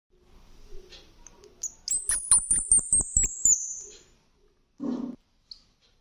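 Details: Rescued baby squirrel, eyes not yet open and mother never returned, hand-fed milk from a filler, fussing once its belly is full: a thin, very high squeal sliding slowly downward over rapid soft clicks, then brief rustles.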